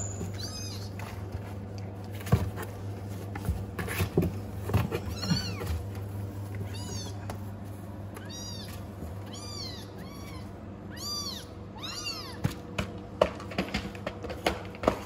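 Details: Cats unhappy in a new house meow repeatedly, with rising-then-falling arched cries, about a dozen over fifteen seconds, over a steady low hum and scattered clicks.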